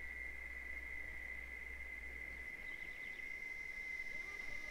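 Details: Sertão of Bahia, Brazil, in the Caatinga biome: a thin, unbroken high-pitched cicada tone runs steadily throughout, softer here, with faint brief chirps near the end over a low hum.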